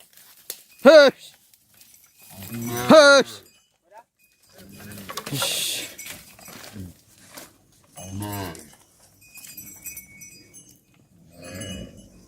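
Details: A herd of well-fed cattle and cows is guided by a farmer back to the barn at the end of the day. Several drawn-out moos sound, some rising and wavering, with clanking cowbells and occasional human voices.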